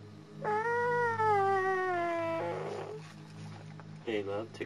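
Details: German Shepherd puppies from the Anarchy and Core litter, born February 18, 2009, three males clustering together at Vom Barron's Pride kennel. One long, steady, slightly falling tonal whine lasts about two seconds, followed by a short rougher cry and a brief voice.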